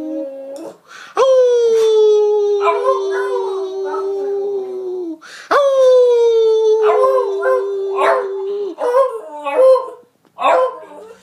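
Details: Edie, a Beagle, howling: two long sustained mournful howls, each starting with a sharp rise then holding steady and slowly sinking, followed by broken yodelling bays and short yelps.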